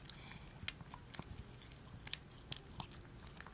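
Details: Several Shih Tzus (Canis familiaris) lick at night with soft, wet smacking clicks in quick irregular bursts; licking said to be a dominance gesture, a stronger animal toward a weaker one.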